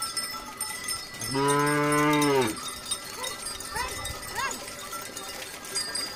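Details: Cow lowing loudly in a single sustained moo lasting just over a second, rich and even in pitch with a slight drop at the end, followed by faint chirps and background rustle.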